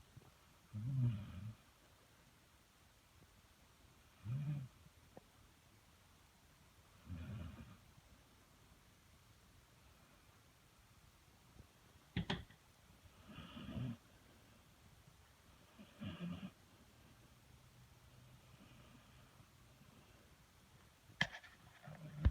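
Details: Sleeping dog snoring loudly indoors, deep rumbling snores recurring about every three seconds, each a low grating rasp, with quiet pauses between and a couple of sharp clicks.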